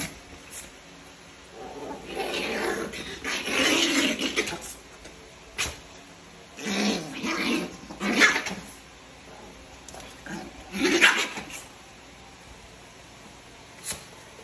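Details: Chihuahuas fighting at 5am; bursts of snarling growls and harsh yapping in several loud episodes separated by quieter pauses, with a steady background hum.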